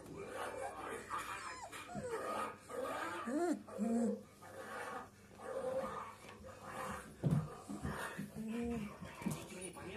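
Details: 23-day-old Dobermann puppies whine and squeak in short, rising cries while a person talks nearby.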